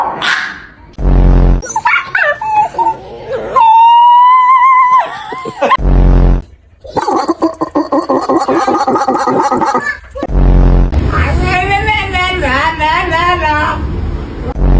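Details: A dog makes strange whining, yodel-like howls and wavering groans, broken by short gaps.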